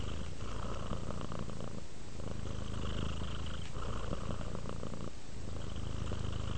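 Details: A relaxing domestic cat gives a deep, continuous purr, its vibrating rumble rising and falling with each breath about every one and a half seconds.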